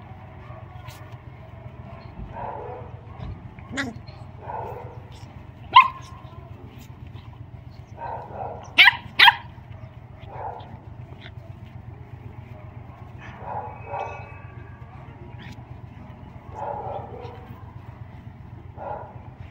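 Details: Mrvica the Doberman at play with Kerry Blue Terrier puppies: scattered short yips and barks, some sharp and loud, repeating irregularly every second or two, with occasional thuds against a low background hum.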